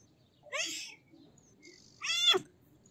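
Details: Two short, thin kitten mews about one and a half seconds apart, the second slightly louder and more strained, in an otherwise quiet background.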